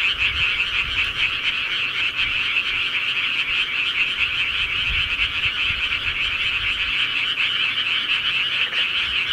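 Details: Night chorus of many frogs in the countryside, a continuous shimmering wall of fast croaking trills with no pauses, even in volume from start to finish.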